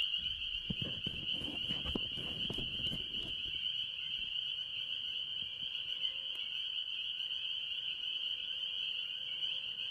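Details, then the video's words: Spring peepers and other tree frogs calling in early year at a farm pond, forming a dense continuous high-pitched peeping chorus; low rumbling thumps in the first few seconds. "Relaxing Tree Frog Sounds - Spring Peepers"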